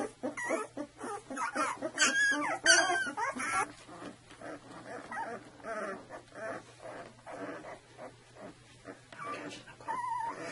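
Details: Two-week-old Saluki puppies from a litter, giving overlapping high whimpers and squeals, busy and loud in the first few seconds, then softer scattered whines with a faint steady hum beneath.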